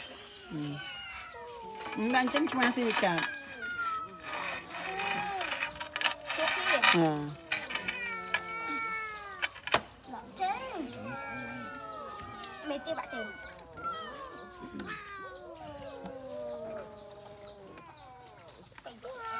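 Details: Abandoned cats, several animals, giving overlapping high meows, many rising and falling in pitch, in quick irregular succession, with people talking nearby throughout.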